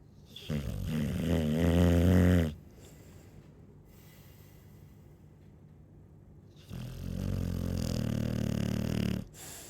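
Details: Chow Chow snoring in two bursts: a deep, fluttering two-second snore, a stretch of quiet breathing, then a second rumbling snore of similar length.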